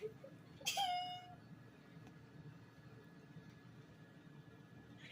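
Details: Domestic cat giving one short, clear meow that holds a flat tone and then tapers off, followed by several seconds of near silence with only a low room hum.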